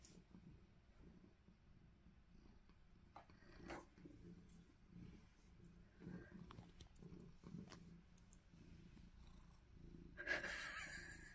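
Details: A Maine Coon cat in a playful, happy mood purrs with a steady low rumble, with human laughter and talk nearby.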